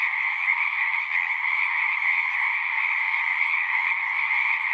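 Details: Many frogs calling at a pond in a horse pasture, recorded with a Zoom device; shrill overlapping trills blend into one continuous ringing chorus, level and unbroken.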